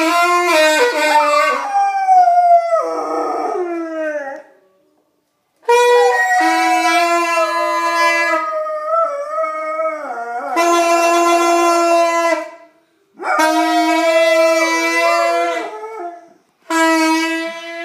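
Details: Labrador retriever howling along while a 10-year-old plays the saxophone; long wavering dog howls interleave with sustained saxophone notes in several phrases separated by short pauses.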